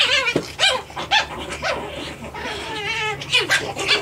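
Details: Japanese Chin puppies, 9 weeks old, playing indoors, give a busy run of high, squeaky yelps and whiny yips, some rising and bending in pitch, several overlapping in quick succession, about two a second.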